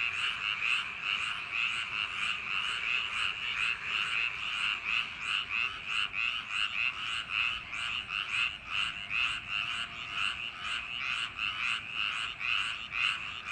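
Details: Frogs calling in paddy fields on a summer night: a dense chorus of pulsed, rattling croaks, about two per second, overlapping steadily throughout with no other clear sounds.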